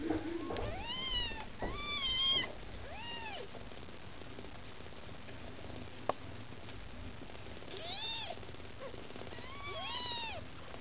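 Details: Hungry Maine Coon kittens with their mother Lakshmi meow insistently for food: a cluster of bright, arched mews at the start, a brief tap midway, then more clear meows toward the end.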